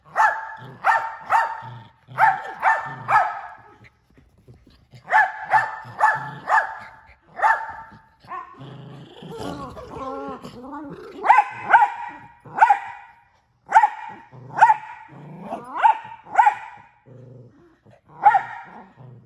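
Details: Barking pet miniature Australian Shepherd male, noted for barking more than once a second: rapid runs of short, sharp barks in clusters, broken around the middle by a stretch of wavering, talkative whines and yowls before the barking resumes.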